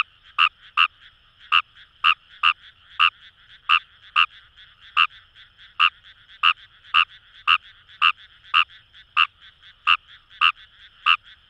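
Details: Paddy-field chorus in Itoshima, Fukuoka, Japan, led by a wild Kawamura's rice frog: some twenty-two quick, bright croaks in rapid sequence, sometimes paired closely, above a constant background trill of other frogs.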